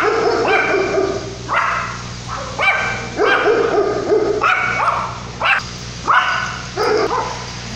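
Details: Amid Tropical Storm Lidia, 2017, in La Paz, Mexico, a Yorkshire Terrier puppy barks insistently: around ten high, ringing yaps in quick irregular bursts over a constant low electrical hum and faint storm background.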